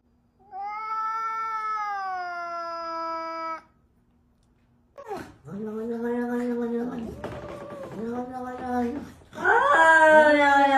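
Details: Cats face off before a fight with loud yowls: one long steady falling wail, silence, then wobbling, rising and falling yowls that grow into a shrill, intense wail at the end.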